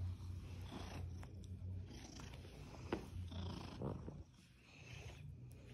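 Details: Snuggling Seal Point Siamese named Skylar, a rescued male, gives a low continuous purr that fades out near the end, mixed with a few sharp clicks and light rustles.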